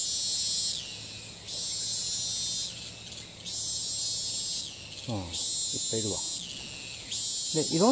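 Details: Thai cicada that won't stop calling even while fleeing, singing again right after each landing: strident, high buzzing phrases of one to two seconds, alternating with softer pauses, and brief human voices near the end.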